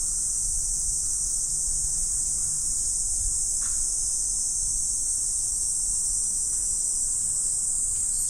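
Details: Morning insects in the autumn season keep up a steady high-pitched trilling wash that never breaks, with a soft low hum and one short faint tick partway through.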